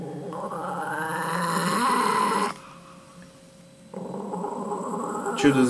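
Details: Dog holding onto a chicken bone growls low and continuously for over two seconds, rising in intensity, then pauses and resumes a softer rumbling growl, indoors.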